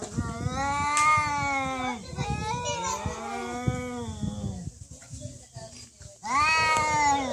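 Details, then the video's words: Fighting cats caterwaul in low, sustained howls: two long moaning yowls, a pause, then a louder, higher-pitched wail at the end, with human voices talking in the background. "Real cat fight Fighting cats"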